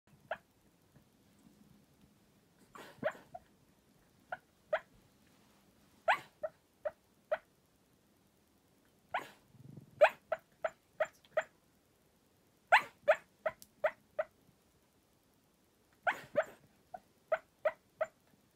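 A sleeping Cairn Terrier gives soft, muffled barks in short bursts of several quick woofs.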